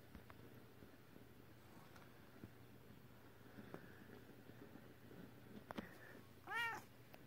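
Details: Female British Shorthair cat giving a single short arched meow near the end, after several seconds of quiet room tone with a steady low hum and faint clicks.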